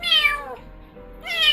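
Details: Abandoned stray kitten crying all night for its mother; the owner says it cries the most of all the cats she has raised. Two loud, high, harmonic meows, each falling at the end, separated by a brief quiet gap.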